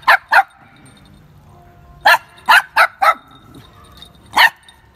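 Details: Dogs at play, a street dog and a Pomeranian with their puppies; short sharp barks, two quick ones, a pause, then a rapid run of four and one more, with little else audible.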